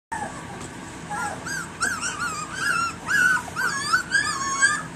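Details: Litter of three-week-old puppies, alert and starting to bark for attention; rapid overlapping high whines and yips, rising and falling, several pups calling at once.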